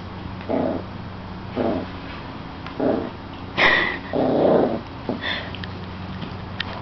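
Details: A seven-week-old puppy named Hero attacking a slipper gives short low growling bursts about once a second, then a sharper bark-like yelp near the middle, with quieter rustling and breathing between them indoors.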